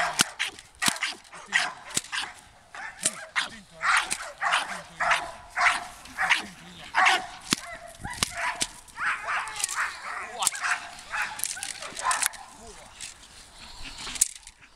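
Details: American Staffordshire Terrier, eleven months old, taking first steps in Mondioring training: a long, near-continuous volley of sharp barks and yips, several per second, with occasional human speech behind.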